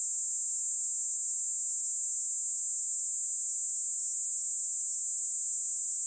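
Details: Kaempfer cicada (Platypleura kaempferi) in its modulated song, giving an unbroken, shrill, high-pitched buzzing drone at constant loudness throughout, with a brief rising sweep at the start and nothing else audible.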